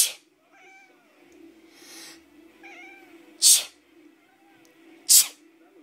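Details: Pet cat reacting to sneezes: short, wavering meows answer two sharp, loud human sneezes, with a faint hum underneath throughout.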